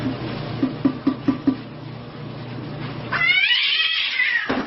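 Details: Domestic cat from a funny pet compilation gives one drawn-out meow lasting about a second and a half, arching up then sliding down. It follows a run of soft knocking thumps over a steady low hum indoors.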